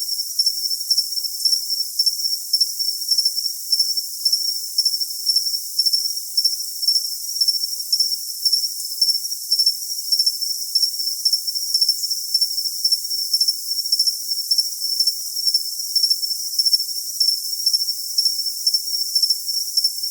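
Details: Cricket chirping used for tinnitus masking: a steady high-pitched trill with short pulsed chirps repeated about twice a second over a constant hiss, no other sounds.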